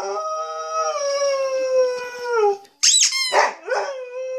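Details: Samoyed dog "singing": a long, steady howl with rich harmonics slowly sliding downward over two and a half seconds, then, after a short break, high yelping rises and falls ending in a level tone.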